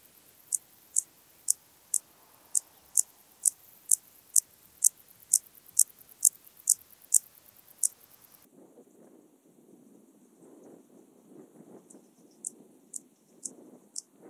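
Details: Intermediate Cross-backed Grasshopper (Dociostaurus brevicollis) stridulating at Zalahalap, Hungary, 18 July 2022: a steady run of short, sharp, very high ticks about twice a second for eight seconds, then a pause and a few sparser ticks.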